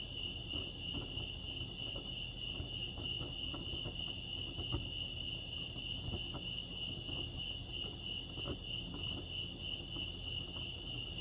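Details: At Lake Arrowhead, California, crickets chirp in a constant shrill trill with rapid rhythmic pulsing, about a hundred loose beats a minute, over low background rumble and light ticking sounds.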